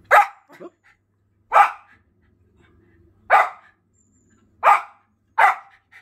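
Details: Jett, a Schipperke dog, barking indoors to chase birds off his property; five sharp, bright barks at uneven intervals of one to two seconds, with faint softer yips between the first two.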